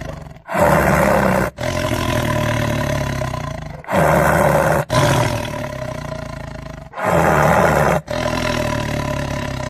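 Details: Lion roar: repeated deep, grinding roars about three seconds long, separated by brief gaps, low rumbling harmonics throughout, no other sounds.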